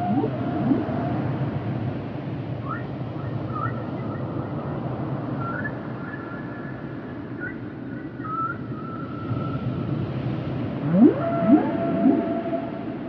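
Humpback whale singing drawn-out tonal moans and whistles, ending with sharp rising sweeps over a low underwater rumble.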